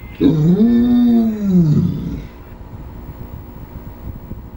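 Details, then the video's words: Ours, a pet Saint Bernard, talks in a drawn-out moaning howl that rises and then falls over about two seconds, followed by quiet room noise. "St. Bernard Dog Talking"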